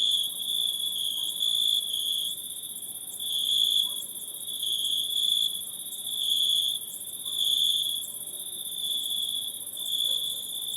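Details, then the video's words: Insects calling at night in a forest: a steady high shrill trill, pulsing in loudness every second or two, over a fainter very high hiss, with no other clear sounds. "Night in the Forest(Insect Sounds)"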